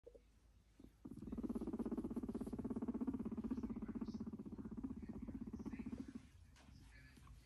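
A guinea pig purrs in a low, steady rumble made of rapid, even pulses lasting about five seconds.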